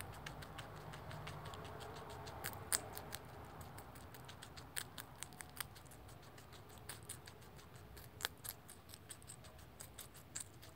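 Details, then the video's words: Baby rex guinea pig eating celery: rapid, crisp crunching clicks tumble out several times a second, uneven in rhythm, with a few louder snaps over a quiet indoor hum. "Adorable baby rex guinea pig eats celery"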